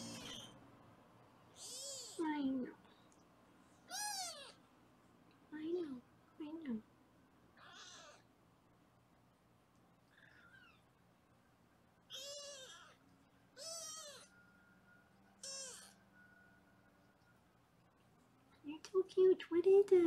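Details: Foster kittens being weighed indoors in Los Angeles: repeated high, wavering meows in bursts, some sliding down in pitch, mixed with a woman's voice and low room hum.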